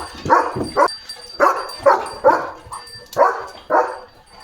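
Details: Leo the German Shepherd barking at passing cattle at the gate; loud barks in uneven clusters, some doubled, over a faint steady high tone.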